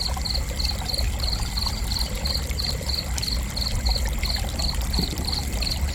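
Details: Cricket chirping in steady, evenly spaced high pulses, about three short chirps each second throughout, over a constant low rumble and faint trickling background.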